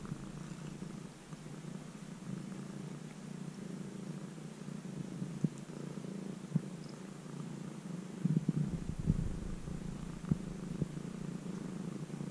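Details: Stray kitten that began appearing near a house and, after about three months of care, lives almost as a house cat, recorded with the camera held very close. It purrs as a steady low rumble, with occasional clicks and rustling noises.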